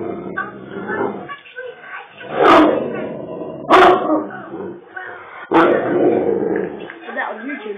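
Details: A Great Dane, told to lie down and go to sleep, talks back with drawn-out, voice-like grumbles and moans, with a few sharp barks mixed in.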